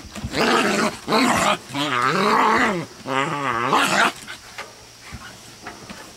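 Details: Scottish Terrier attacking a Bouvier des Flandres with a partial haircut while a Black Russian Terrier relaxes nearby; deep, harmonic, wavering growls in three loud bursts over about four seconds, then quieter rustling.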